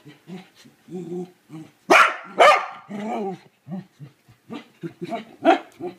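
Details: A corgi that hates the toilet bowl brush gives a run of grumbling, whiny vocalizations at it, broken by two sharp, loud barks.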